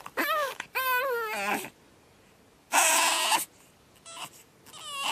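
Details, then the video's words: Pug puppy on its second night, screaming in loud harmonic wails that waver and bend, each lasting about a second, separated by short pauses, with one harsh noisy burst midway. "Pug Puppy Screaming"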